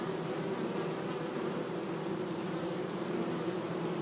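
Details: Bees buzzing among flowers in a sunny meadow: a steady, low droning hum with faint tonal bands that holds evenly for the whole stretch, over a soft hiss of background noise.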